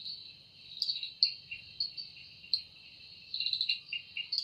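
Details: Cicada singing in an evening forest, its wings said to produce the sound. A shrill steady hum rises into short beating pulses, with a quick run of rapid pulses near the end over a constant insect drone.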